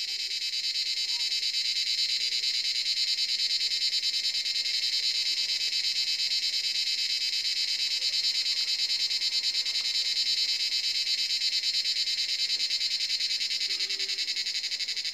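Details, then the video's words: Evening chorus of cicadas in a forest as the sun sets, about seven o'clock: a steady, loud, high buzzing wall of sound with a fast regular pulse, unbroken throughout, and a few faint low chirps in the background. "Cicada sound in forest"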